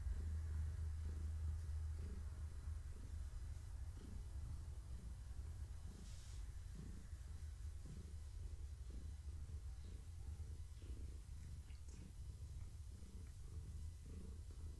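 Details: Gaia, a pregnant long-haired tabby cat, purring while being petted in the evening, kittens moving in her belly; a low steady rumble swelling with each breath, roughly every three-quarters of a second, with faint room noise.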